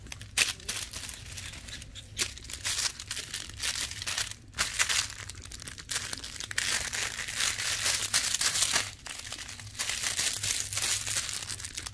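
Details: Crumpling and crinkling noise with sharp tearing bursts fills a small indoor room, with no animal voice heard.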